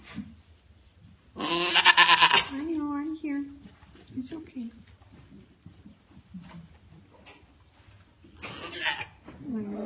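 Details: Restless African pygmy goat doe RRF Cascade, Grand Champion, in discomfort on the morning of kidding with a very full udder; one long, strained, harmonic bleat, then softer murmurs and a second, shorter bleat near the end.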